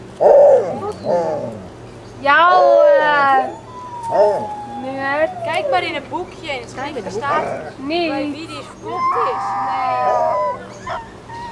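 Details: Several 26-day-old Alaskan Malamute puppies of Ciqala at Sakima Kiwidinok, September 2009, giving overlapping high, quavering howls and whines, some long and sliding downward, others short and stacked, amid faint talking in the room.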